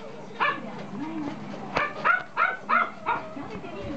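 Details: Toy poodle puppy giving a short run of five sharp, high yips roughly every third of a second after a quiet start, with faint indoor background noise.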